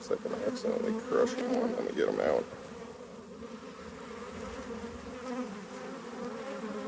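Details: Honey bees buzzing around an opened hive during harvest; loud close buzzing and handling knocks in the first two seconds, then a softer, even colony hum.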